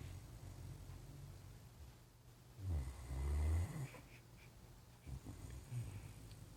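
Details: A Great Dane passed out asleep on a couch snores in deep, rough rumbles that rise and fall with its slow breathing.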